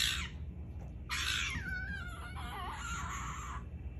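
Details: Fennec fox kept as a pet, squabbling with its owner: harsh, screechy bursts broken by wavering whining tones that dip and rise, over a steady low hum.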